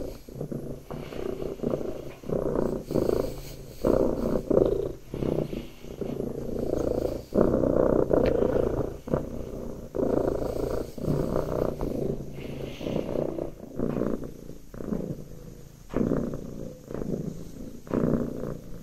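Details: Domestic cat purring while sitting in a person's lap, a rough low rumbling pulse that swells and fades with each breath, steady throughout with faint handling noise.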